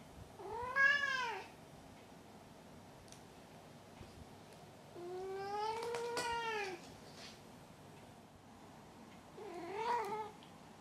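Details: Indoors, Maru the pet cat calls out after catching his toy, then typically lies on his back, apparently showing off. Three arched, wavering meows spaced several seconds apart, the middle one longest and drawn out, with a soft tap during it.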